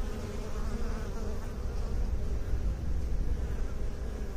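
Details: Bees humming in a steady, dense drone with a low rumbling base and faint layered tones above, swelling slightly in loudness midway and never pausing.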